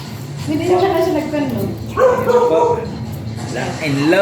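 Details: Very small Shih Tzu at a stud service in Tayug, Pangasinan, giving high whining yelps that rise and fall across several drawn-out cries, with background music.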